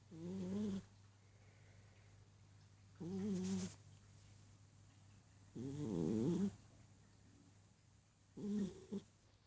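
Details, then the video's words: Sleeping Persian cat snoring steadily, four raspy, throaty breaths spaced roughly three seconds apart, each a short rumbling buzz with quiet pauses between, in a quiet room. "Snoring Persian"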